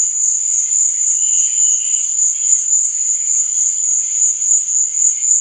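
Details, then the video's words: Crickets calling at night in an even, ringing high-pitched trill that never breaks, with a brief lower chirping phrase near the start and otherwise nothing else heard. "Cricket Sound"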